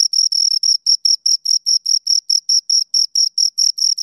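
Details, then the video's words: Close, loud chirping of two crickets: short bright pulses, some closely doubled, repeating rapidly and steadily over a quiet background. "Two Crickets Chirp Sounds"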